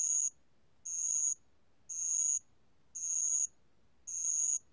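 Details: Band-legged ground cricket singing, recorded in 2020 for Korea's National Institute of Biological Resources: five shrill, bell-like buzzing pulses, each about half a second, spaced about a second apart, with nothing else audible.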